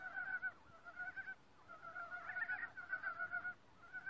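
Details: Frogs calling in a forest chorus; overlapping rapid pulsed croaks in two stacked bands, rattling trains broken by a brief pause before callers resume together.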